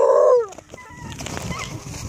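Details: Remy, an 8-month-old female Bluetick Coonhound pup near Kingston, Ontario, who tracks deer in a pack, gives a short, loud, tonal howl on request that holds steady, then drops away.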